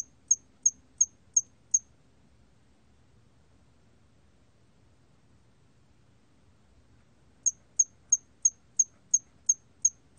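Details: Song of a hairy cricket recorded in 2020 in Korea: five short, high, ticking chirps, a pause of nearly six seconds, then a further string of about nine evenly spaced chirps.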